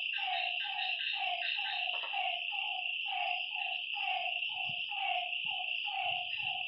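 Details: Frogs call at night by a lake in short, hollow notes repeated about twice a second over a steady insect drone.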